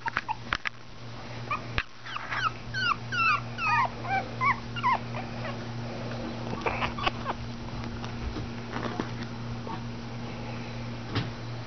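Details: Schipperke puppies born June 2011 in Oklahoma, offspring of Champion Shacre's Rock N Elvis, indoors: a rapid run of high, wavering whimpers and yips with bent, falling tones between two and four seconds, then scattered squeaks over a steady low hum.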